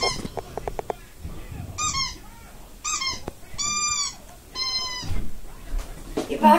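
A Shih Tzu gives a few high, clear, yappy barks, each short and ringing, with a person talking nearby.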